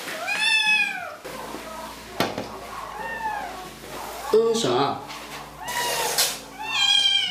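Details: Kitten complaining during a bath with drawn-out, arching meows spaced a few seconds apart, some harsh and strained, alongside a person talking and soft background music indoors.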